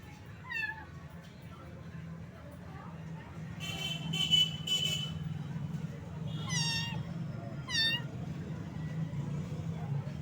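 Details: A little cat found wet in the rain and shivering from the cold gives high, bending meows: one early, then two close together near the end, over a steady low rumble with a burst of broadband noise midway.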